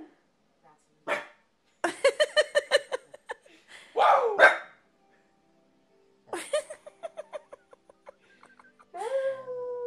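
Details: A corgi fires off a rapid string of yips and sharp barks, pauses, then gives a second quicker burst before ending on a sustained, steady whine.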